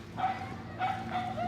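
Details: Dogs in Koganei Park, Tokyo, Japan, barking: three short, sharp barks spaced roughly half a second apart over a low background murmur.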